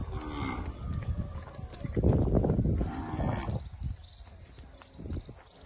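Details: Guzerat cattle in the Salvadoran countryside, a deep, drawn-out moo swelling and fading over about two seconds, with rustling, low farm noise and a faint high whistle afterwards.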